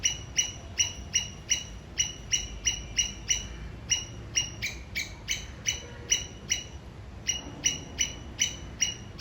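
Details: Sri Lankan squirrel calling and signalling towards its enemy: sharp high chirps repeated steadily about three times a second, each a short clipped note, over a low rumble of background noise.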